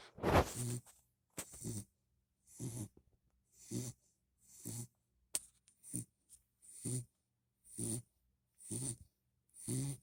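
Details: Puppy named Hadley snoring while asleep indoors, tired after a long walk from the park; short rasping breaths about once a second, with a louder snort near the start and a brief click midway.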